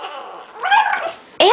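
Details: French Bulldog; vocalizing; responding to its owner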